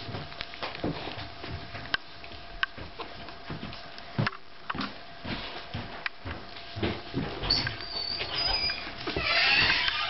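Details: Five-day-old Staffordshire Bull Terrier puppies indoors, giving thin high squeaks that grow louder and more continuous toward the end, over scattered soft rustling and clicking from the litter.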